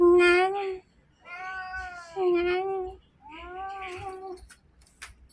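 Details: Cat indoors climbing the air conditioner, calling in three separate drawn meows about a second long each, the second louder and more strained, with faint low background hum.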